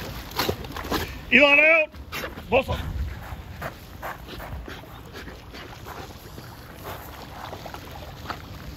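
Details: A 20-month-old male Belgian Malinois in protection-dog training in a pool, doing water call-offs and bites, gives a brief, strained bark with a wavering, whine-like tone amid splashing.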